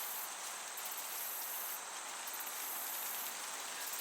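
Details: Crickets in a summer meadow, high-pitched chirp trills arriving in short bursts about every one and a half seconds over a steady breezy hiss.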